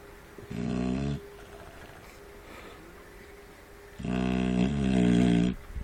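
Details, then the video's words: Shar Pei puppies snoring while feeding: two loud, rasping, harmonic-rich snore bursts, each lasting about a second, separated by quieter breathing. "шар-пей собака храпит"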